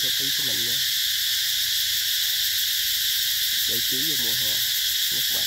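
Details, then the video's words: Continuous shrill cicada chorus recorded in 2021 at Mỹ Luôn eco-tourism orchards of durian and Thai jackfruit, unchanging throughout, with short bursts of human speech at the start and again past midway. "tiếng ve gọi hè"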